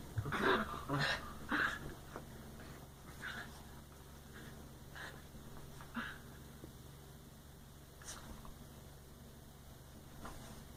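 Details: Playing dogs give odd Wookiee-like sounds: a rapid run of rough, harmonic yelps and grumbles in the first two seconds, then scattered breathy snorts and softer huffs spaced a second or two apart.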